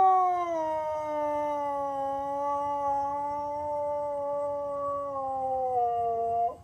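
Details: Siberian Husky named Sonny singing along to an ice cream truck's tune as it tours the neighbourhood: one long, sustained howl, smooth and tonal with strong overtones, gently wavering in pitch before falling at the end.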